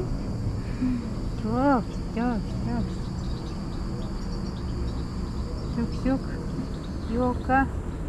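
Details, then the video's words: Tuxie, a female cat asking for food, gives several short rising meows and chirping trills in pairs over a steady buzz of insects, with a person speaking softly. "Tuxie the cat asks me for food with her cutest meows and trills"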